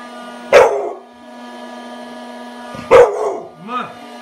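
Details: Two forceful barks roughly two and a half seconds apart from an eight-month-old American Bully puppy tearing into a teddy bear birthday gift, followed by a brief voice, with a steady hum underneath.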